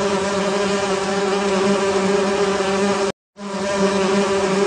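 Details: Steady humming drone of honey bees inside a beehive, low and continuous with layered overtones, cut by a short silent gap near the end before the buzz resumes.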